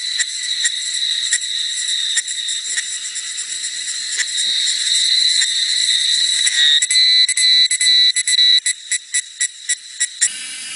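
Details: Cicadas sing in the forest at Jinlongshan, Nantou, on a hot, muggy summer afternoon, 28 May 2016. A dense, shrill buzzing chorus runs steadily, then breaks into rapid, regular pulses in the final seconds.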